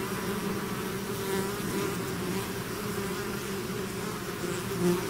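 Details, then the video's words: Steady buzzing of a bee swarm that has left its hive: layered low hum with a bright hissing wash above, a nearby bee flaring briefly louder toward the end. "bees therapy swarm natural buzzing sound"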